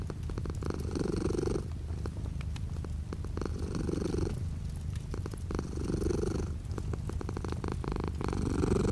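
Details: Domestic cat purring with light rain outside a window: a low, steady rumbling purr with rhythmic pulses, swelling in breathy bursts roughly every two seconds as the cat inhales and exhales, soft rain patter and faint clicks behind.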